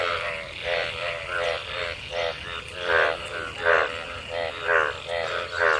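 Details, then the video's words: Frogs mating in water gathered after monsoon rain; slower, louder nasal croaks about one per second stand out over a background of other calling frogs. "Frog Sounds after monsoon rain,Sounds of toad Croak croak ! frog mating and love in rain"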